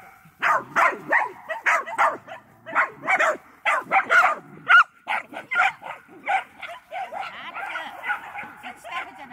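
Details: Medium Poodle running, giving a rapid series of short, sharp barks, several per second, with harmonic yips that blur into a steadier chatter toward the end and a person's voice mixed in at times.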